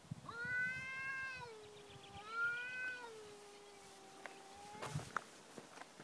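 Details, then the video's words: Talking domestic cats: two drawn-out, tonal meows, the first about a second long and the second stretching into a long, level, slowly falling wail, with faint rustling behind. "Talking cats"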